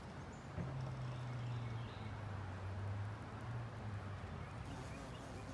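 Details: Carpenter bee flying around and investigating near a carpenter bee trap. A deep, loud buzzing drone starts abruptly, holds, dips and rises in pitch as the bee passes close. Faint bird chirps sound in the distance.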